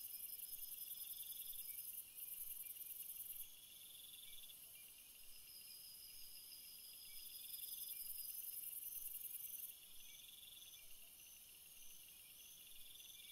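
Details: Crickets keep up a bright high-pitched buzzing chorus, very high trills switching on and off in long stretches of a few seconds, beneath slower rhythmic chirps in lower bands.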